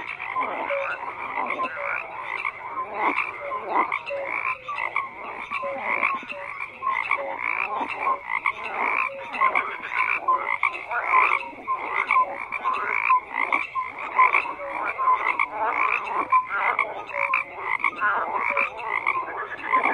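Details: Many frogs croak together in a thick, continuous chorus of rapid rasping pulses, with faint tonal notes woven in, holding a steady level across the whole stretch.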